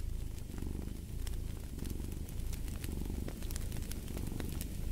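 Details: Cat purring next to a fire: continuous low throaty rumble rising and falling with each breath roughly every second, overlaid by scattered crisp crackles and pops from burning logs.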